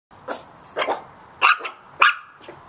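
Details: Little Chihuahua puppies barking at a big cat: four short, sharp, high yaps spaced roughly half a second apart, each a bright burst with a faint hiss of room noise between them.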